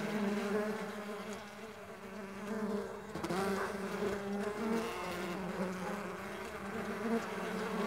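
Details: A dense, unbroken buzz of many Mandaçaia stingless bees flying, with their overlapping wing hums shifting slightly in pitch and a sharper close pass just past three seconds.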